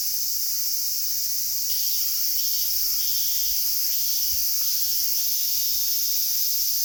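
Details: Cicadas droning during a hot August lakeside walk at Sanjung Lake in the hottest season; a dense high-pitched buzzing wash runs unbroken, slightly swelling after the second mark, with faint low knocks underneath.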